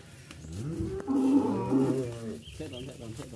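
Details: Qurban cattle taken from a farmer's pen and loaded for shipment to Jakarta, Indonesia; one deep, drawn-out moo swelling for about a second with stacked harmonics, over engine hum, with people talking nearby.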